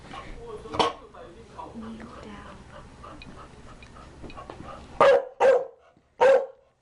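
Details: Chow Chow dog barking: after several seconds of murmured background speech and room noise, three loud, sharp barks come in quick succession near the end.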